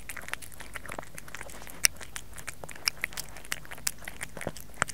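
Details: Pet cat Kerry chewing food, recorded close for ASMR: scattered crisp crunches roughly once a second, some louder sharp snaps standing out, in a quiet small room.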